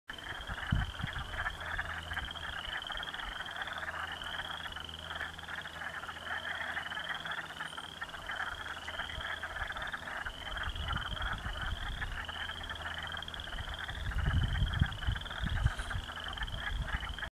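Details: A dense frog chorus in a slough in a back pasture, recorded in 2017, of rapid, high, repeated chirping notes over a steady trilling din.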